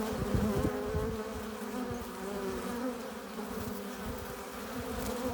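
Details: Continuous drone of many honey bees at the entrance of a hive, foragers arriving with pollen and nectar; layered humming pitches swell and fade slightly while low flutter rumbles underneath.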